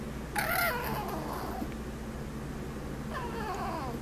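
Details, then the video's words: Pet Chihuahua indoors on a rainy day making funny noises: a sudden high, wavering whine at the start, then a second softer warbling whine near the end, over the steady hum of a fan and rain. "Sammy the Chihuahua makes funny noises"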